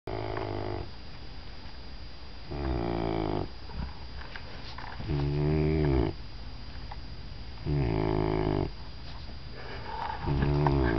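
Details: Zena, a Dobermann puppy, snoring indoors: buzzy, rasping snores with a rich layered tone. Each lasts about a second and recurs every two to three seconds, with quiet breathing between.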